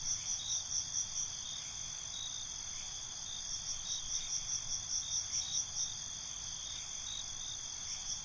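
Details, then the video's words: Night-time cricket chorus recorded binaurally: a continuous high-pitched ringing drone with repeated pulsed chirps coming in short rhythmic runs, several a second, in clusters across the clip. "Cricket Conversations"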